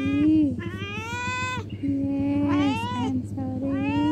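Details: Cat giving insistent, wavering meows that rise and then drop, three long calls with short gaps, overlapping with a woman's soothing voice.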